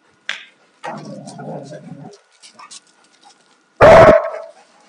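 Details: Play-fighting Alaskan Malamutes, a 2-year-old male and 4.5-year-old female: a sustained rough grumbling growl lasting over a second, a few faint snorts, then one loud sharp bark near the end.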